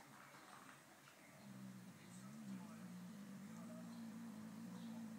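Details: Saluki Indi chatting with Pharaoh Hound Asha, two pet dogs: a low, drawn-out moaning vocalization that starts softly, then swells and wavers slightly, held for several seconds, with faint room noise behind.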